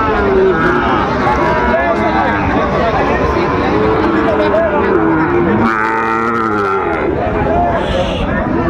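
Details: Sahiwal breed bull calves for sale at a Chattogram market, Bangladesh, 24 October 2025: bellowing moos, one bending downward mid-way, heard through busy market noise, overlapping voices and people speaking nearby.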